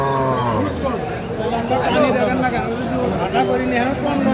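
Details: Dairy cattle at Aftabganj market, Dinajpur, Bangladesh, on 19 December 2024, among improved-breed milk cows and calves; a low, drawn-out moo opens, then fades under busy crowd chatter and bargaining voices.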